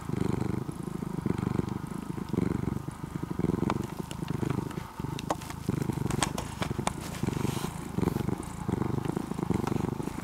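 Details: Orange-and-white ex-stray cat, cared for more than two years, purring in a deep motor-like rumble that pulses with each breath; a few light clicks and rustles in the middle.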